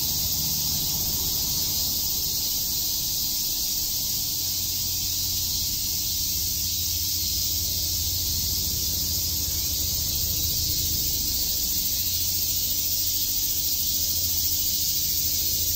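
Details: A continuous high, rasping cicada drone on a summer day at Shakujii Park, Tokyo, holding an even level for the whole stretch, with soft low-pitched background rumble.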